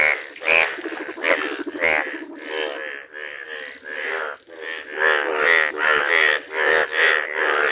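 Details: Indian bullfrogs, bright yellow, calling in a village. Rapid, buzzy, pulsed croaks overlap in a steady chorus, about two calls a second, briefly louder at the start.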